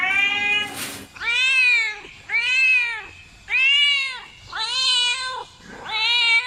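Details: Cat giving five clear arched meows, each rising then falling in pitch and lasting under a second, about one per second, after a brief noisy burst at the start.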